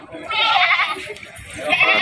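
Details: A sacrificial goat bleats at the Argopeni market in Kebumen in the days before Eid al-Adha. One long, nasal, wavering bleat is followed by the start of a second, and the market crowd can be heard behind.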